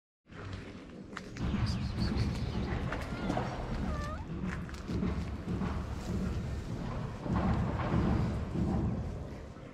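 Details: Stray calico cat in Morocco, jealous and not wanting another cat to come near, gives short curved meows among heavy low rumbling street noise and handling sounds.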